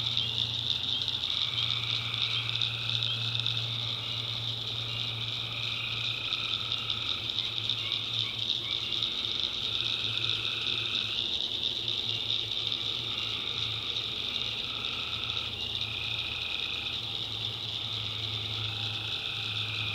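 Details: Tree frogs calling at night in a North Carolina backwoods swamp: drawn-out, buzzy trilled notes in two pitch layers, repeated in bouts over a steady high shrill chorus of crickets and insects, with a constant low hum beneath.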